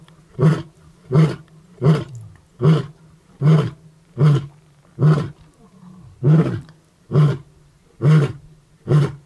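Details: Male lion in the Maasai Mara, close to the Tanzania border, giving a morning roaring series: about twelve deep, punchy grunting roars, one every three-quarters of a second, steady and very low, with quiet rumbling between.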